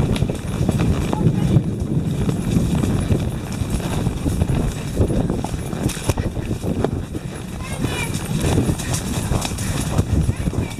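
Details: Tennessee Walking Horses, four ridden on a winding trail from a cattle pasture in Brenham, Texas, under a storm. Rapid, steady clip-clop of hooves runs throughout, with riders' voices talking over the low rumbling background.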